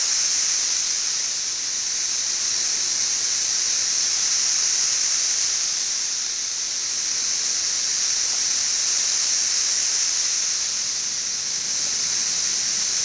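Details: Brood XIV 17-year cicadas massed in Frankfort, Kentucky, in June 2008, two weeks after emerging: a steady high-pitched hissing chorus that swells and fades gently every few seconds. The chorus is softer than at its peak.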